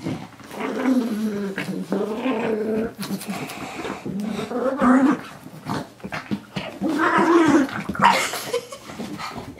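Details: Pet pug named Moo Man growling while attacking a new toy guinea pig from Ikea indoors; rough, throaty growls rising and falling in bursts, with short breaks between them and a small-room sound.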